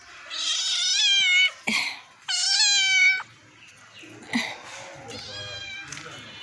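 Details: Pet cat named Banga, filmed at home while playing, gives two loud, drawn-out, strongly harmonic meows in the first three seconds, then fainter mewing, with brief taps and a human voice coaxing in Bengali.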